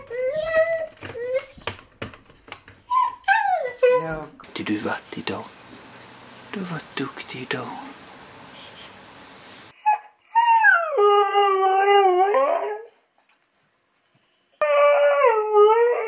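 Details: Siberian Husky producing whining, talk-like vocalizations that slide downward and waver, in several separate bouts mixed with rustling and handling noise.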